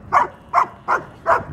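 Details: At a dog park, Ellie, a 75-pound female German Shepherd, seeks attention among bigger dogs, a male Doberman and the Great Dane Boone. Four loud, clipped barks come evenly, about one every 0.4 seconds, against a quiet background.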